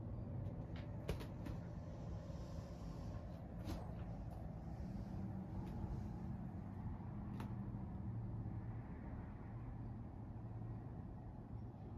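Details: Quiet low hum of distant traffic or machinery, with a few faint knocks and clicks and no animal calls.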